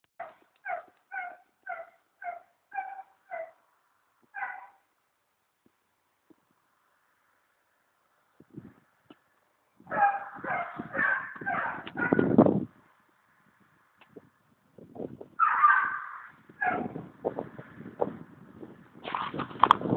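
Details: Foxhounds on a fox hunt, the fox just shot: a series of short, evenly spaced harmonic yelps at the start, then a pause, followed by overlapping bursts of baying and barking from several hounds, loud and ragged toward the end.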